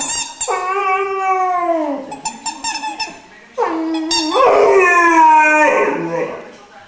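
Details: Glor na Gael Iarla, a three-month-old Irish Wolfhound puppy, singing: clear tonal howls, the first gently falling, a pause with soft whimpers, then a louder, longer wavering howl sliding downward.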